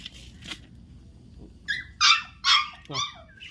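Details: Newborn dachshund puppy giving a quick run of four thin, high-pitched squeaks, each brief and bright, after a quiet start with faint earlier cries; low background murmur throughout.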